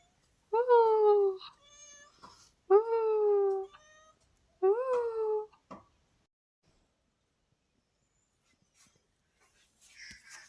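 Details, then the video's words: Pet cat in the hills that wakes its owner every morning, giving three loud, drawn-out meows about two seconds apart, each bending up then falling, with brief softer chirps after each; quiet room otherwise. "পাহাড়ে বিড়াল রোজ সকালে ঘুম ভাঙাতো"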